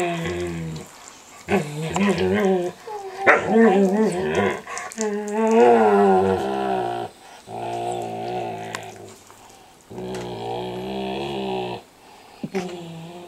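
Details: Two standard poodles at home, the eight-month-old Micah vocalizing while chewing gently on the older dog's face and ears; warbling whine-groans that swoop up and down, then steadier droning moans in long stretches.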